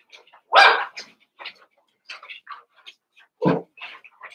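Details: Cavalier King Charles Spaniel puppies, Daisy's six merged with Robin's two pups, eight in all, at play. Two short, sharp yaps stand out, one near the start and one near the end, with soft squeaks and small noises between them.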